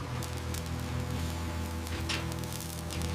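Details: Quiet low-pitched music and steady hum with faint patter and static, no animal calls.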